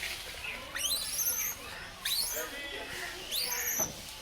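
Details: Baby langur monkey giving shrill, rising squeals that sweep sharply upward, three bursts about one second apart, each lasting about half a second, over a steady background hiss.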